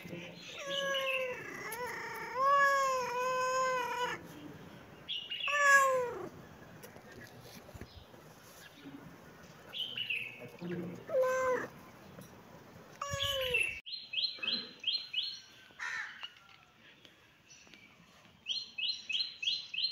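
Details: Cat, from a cute baby cat and cat compilation, giving a run of long, wavering meows, then several shorter rising-falling meows. High, quick, twittering chirps follow in the last seconds.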